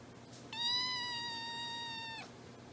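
A kitten gives one long, high, steady meow that tapers off slightly at the end.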